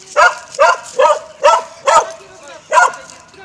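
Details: Dogs barking in Mazovia, Poland, in 2021: six sharp, even barks, each roughly half a second apart, with a steady low hum between them.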